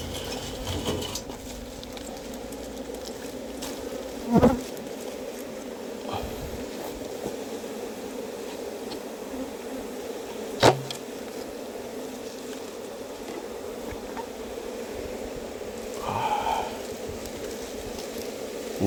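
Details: Box-hive colony of wild honey bees, inspected for honey, gives a long unbroken buzzing hum, with occasional sharp taps and a brief louder whir as the keeper works the hive.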